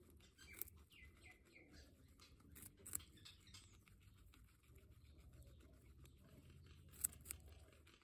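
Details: Guinea pig giving a quick series of about four falling whistled squeaks, each sliding downward, followed by sharp clicks and a steady low background hum.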